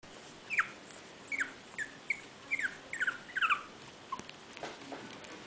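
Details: Home-reared Chihuahua puppies, born 13 January, give a run of short, high squeaky yelps, some sliding downward and some in quick doubled bursts, spaced irregularly over a few seconds against a quiet room hiss.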